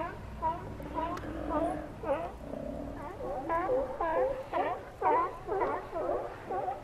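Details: Chorus of Steller sea lions in Cowichan Bay, Vancouver Island, Canada, with repeated harmonic barks and wavering groans from several animals, coming roughly every half second throughout.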